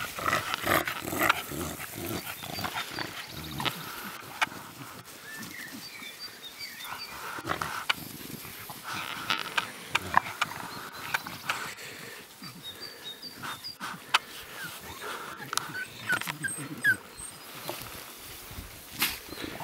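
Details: Six-week-old Staffordshire Bull Terrier puppies give short, high yips and squeaky whines amid scuffling and clatter.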